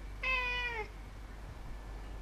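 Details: One short, loud meow from a domestic cat on 18 September 2016, strongly harmonic and falling slightly at its close, followed by more than a second of quiet room hum.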